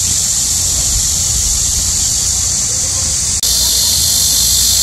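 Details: Loud shrill cicada buzzing in high summer heat, a constant hissing drone that cuts out for an instant near the end and then resumes at full strength.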